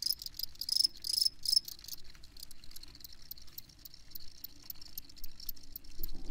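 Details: High, shrill cricket chirps, loudest and densest in the first two seconds, then thinning to sparse, evenly spaced pulses over a soft insect hiss, with a faint low knock at the very end.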